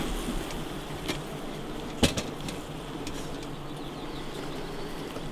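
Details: Honey bees humming inside a hive just before the honey harvest: a steady, dense low buzz with a few sharp knocks and clicks from handling the hive.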